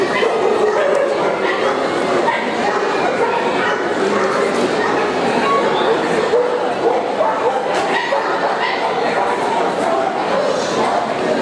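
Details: Irregular yappy barking from Yorkshire Terriers at an international dog show in Montluçon, France, March 2016, mixed with continuous crowd talk and occasional clatter in a large indoor venue.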